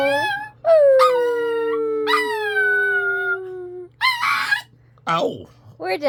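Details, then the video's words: Singing pet dog joining its owner in song indoors, giving long, sliding howls that start high and slowly fall, followed by shorter yelping, wavering cries near the end. "Roxie Dog sings, coughs on dad, then sings again"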